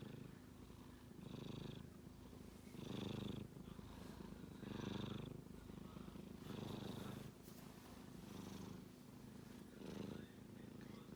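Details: A kitten snoring in its sleep: low, rough breaths rising and falling every second or two, each swell carrying a hissing edge, over a continuous purr-like rumble.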